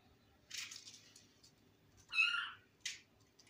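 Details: Kitten in a room giving a short high mew around two and a quarter seconds, flanked by brief rustling bursts, in an otherwise quiet indoor space.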